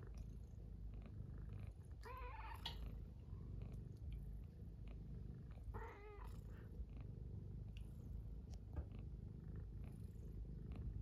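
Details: Domestic cat purring steadily and deeply indoors on a cold-wave morning, curled up embracing another cat beside an oil heater after being greeted good morning; two short harmonic vocal chirps break through around the second and sixth seconds.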